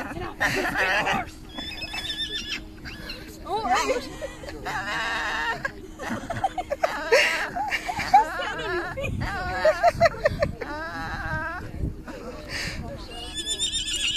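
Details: Small Staffordshire Bull Terrier chattering away at a person: warbling, yodel-like vocal bursts that wobble up and down in pitch, coming in short runs, mixed with human speech, laughter and faint music.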